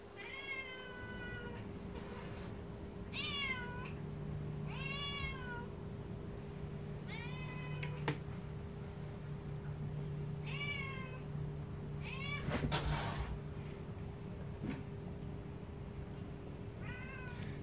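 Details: Bebe, a 10-year-old Siamese cat, meowing indoors at home as the dogs Charley and Roxie, a recently rescued dog she dislikes, come into her house; drawn-out, bending meows repeat every second or two, with a steady hum and a brief clatter near the end.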